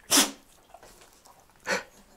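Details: Dogs, a Rottweiler and a Finnish spitz/Dobermann mix, sneezing on command, filmed with an action camera: two sharp, breathy broadband sneezes about one and a half seconds apart, with faint rustles in between.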